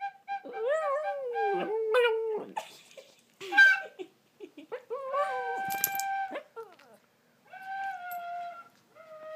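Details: One-eyed 8-year-old Shih Tzu sings along to a flute, howling in wavering, sliding notes with steady flute tones mixed in.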